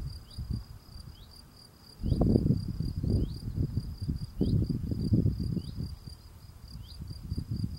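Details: Male field cricket singing while cleaning the steps at its burrow entrance: a steady, high, pure-toned trill at constant pitch, with low rustling and scraping thumps from the cleaning, louder after two seconds.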